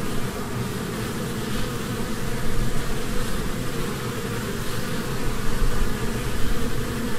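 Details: Honeybees in spring flitting from flower to flower, gathering pollen and nectar; a steady, dense low buzzing hum of many wings runs throughout with slight swells in loudness, no other clear sounds.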